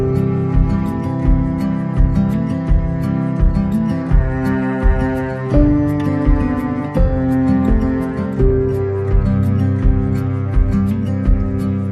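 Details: Slow, mournful instrumental music led by deep bowed strings over a repeating pulse, with no animal sounds audible.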